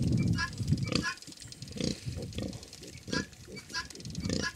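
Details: Grunting from a Hungarian Mangalica sow kept with her suckling piglets: deep, breathy grunts repeated about every second, mixed with rustling, light clicks and a little distant human voice.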